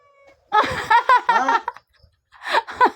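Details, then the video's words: Talking cat with loud, wavering meows run together in a chattering, speech-like stretch, a short pause, then two more quick meows. "talking cat"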